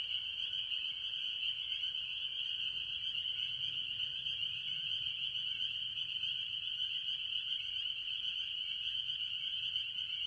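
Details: Mostly spring peepers with various other tree frogs at a farm pond early in the year, their shrill high peeps merging into an unbroken, pulsing chorus throughout.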